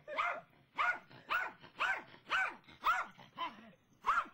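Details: Pet dog named Brittany barking excitedly after spotting a squirrel in the front yard: a steady run of eight sharp, harmonic barks, roughly two per second, each with a quick rising-then-falling pitch.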